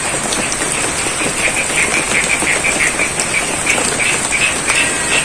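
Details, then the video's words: In rain over a rice paddy in Ngadirojo, Pacitan, East Java, frogs give quick repeated clicking croaks in a regular run, partly buried under dense rainfall noise and a continuous high-pitched hiss. "Suara Kodok & Air Hujan - ASMR Sound of Frogs & The Rains"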